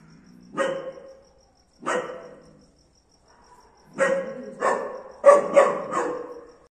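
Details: German Shepherd dog barking for the first time: sharp, harsh barks, two single ones about a second apart, then a quicker burst of four or five after a short pause, with a faint steady high whine behind.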